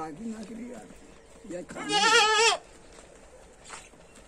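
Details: Goat offered for sale in Lucknow: one loud, wavering, nasal bleat lasting under a second, amid quieter background voices and murmur.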